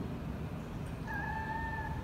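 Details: Loudly meowing mother cat whose kittens are held at a cat meat shop in Vietnam: after a second of low rumble, one flat, drawn-out meow of about a second.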